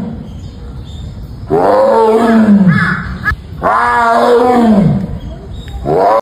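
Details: A tiger gives deep, rasping roars, each swelling and falling over about two seconds.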